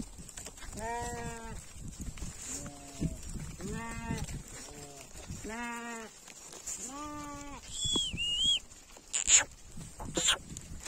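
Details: A sheep on its way home bleats over and over, each bleat roughly one and a half seconds apart, rich and quavering, ending with a short whistled note and a couple of sharp clicks.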